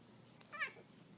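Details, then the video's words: Domestic kitten playing indoors gives one short, high meow that rises and falls, with a person talking to it just before and after. "Kittens Meowing"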